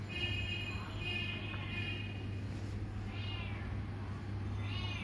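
Bengal kittens giving thin, high-pitched mews, some long and level, others short and arched.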